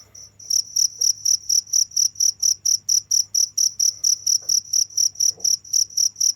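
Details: A cricket starts up after a brief pause, then chirps in a high, regular pulse about twice each second, with a few soft clicks and a low hum behind.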